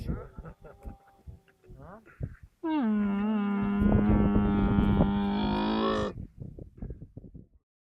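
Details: A camel lets out a sustained, droning bawl of about three and a half seconds at an even low pitch, rich in overtones. Softer broken sounds, possibly voices, come before and after it.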